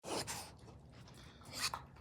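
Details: A raccoon being fed gives two harsh, breathy sneeze-like huffs about a second and a half apart; the strange sounds raise the feeder's suspicion that it may be sick.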